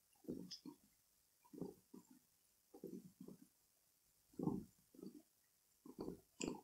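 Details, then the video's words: Pet cats, kitten Rossetta and cat Bella, purring loudly while resting on a bed indoors; soft low rumbling bursts come in uneven breathing-paced pulses about every half second, with brief pauses between groups, in a quiet room. "Best Asmr Cat Purring Loudly Relaxing Sound"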